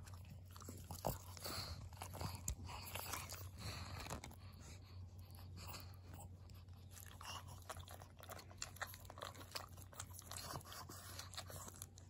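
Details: Maria, an elderly pug, crunching treats on 14 August 2021; sharp crisp bites and chewing clusters, loudest early, then steadier munching against a constant low electrical hum in a small room.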